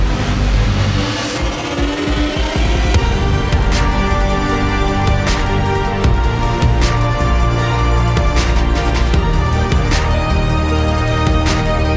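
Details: Loud driving theme music with steady beats fills the whole stretch, with no animal voice.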